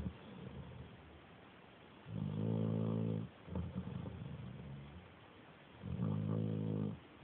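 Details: Dog asleep, snoring in piglike grunts: two sustained, rich buzzing snores about four seconds apart, with softer ragged snorts between them.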